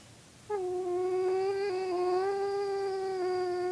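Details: A male dog howls in response to his owner's weird sounds, a long, steady howl holding one low-pitched note, rich in overtones.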